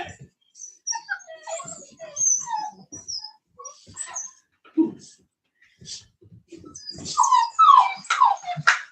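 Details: Cane Corso, or Italian Mastiff, from a breeder's pack west of Nashville, Tennessee, giving a run of thin, high whimpers and short yips, some slurred downward, while a person talks quietly in between.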